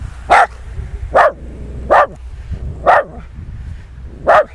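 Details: Nix, a West Highland White Terrier out in the snow, gives five sharp barks spaced roughly a second apart, each a short bright burst, over a low background rumble.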